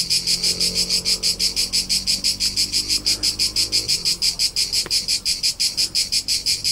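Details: Summer crickets recorded on Tuscan hillsides in central Italy. Bright, high-pitched pulses repeat in an even rhythm of roughly three per second, with one brief sharp click and soft low background rumble.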